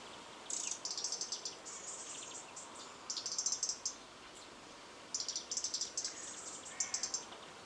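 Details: Stoats playing in a garden on August 4, 2013; very high, rapid pulsed chittering in bursts of about half a second to a second, coming in four clusters separated by short quiet gaps over faint background hiss.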